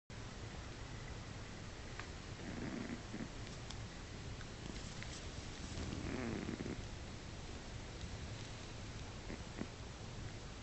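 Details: Moru-chan, a female pet guinea pig adopted at a year and a half, gives a single sharp, bright sneeze, a brief burst of noise lasting about a tenth of a second, heard indoors against a faint low hum.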